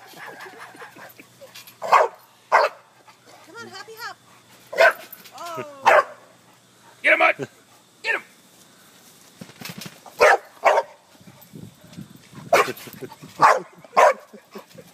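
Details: A pet dog barks sharply in bursts while bouncing on a trampoline, with short yips between, and people cheering and talking throughout.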